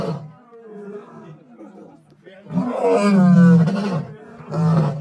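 A lion gives a deep, throaty roar that swells into loud, rasping bursts.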